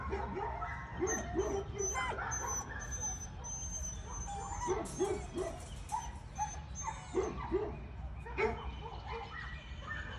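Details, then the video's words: Giant Schnauzer from Cethuz kennel barking at strangers in the neighbour's house. Moderately pitched barks come in quick bursts of two or three, repeated throughout, somewhat distant against a steady background hum. "strangers in the neighbor's house 😱 Giant Schnauzer"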